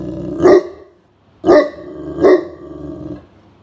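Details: Indoor Great Pyrenees on guard duty during a midsummer nap, barking at a suspicious person nearing the property: three loud, deep barks, the last two closer together, with a low rumbling growl trailing off.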